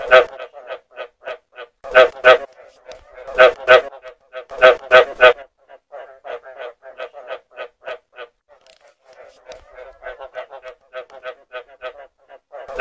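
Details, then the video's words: Frog calls recorded for use as a hunting lure: loud bursts of rapid, harsh, harmonic croaks, a few notes each, alternating with softer runs of quicker croaks, about three or four a second, with short silent gaps and no other sounds. "เสียง กบ สำหรับต่อ"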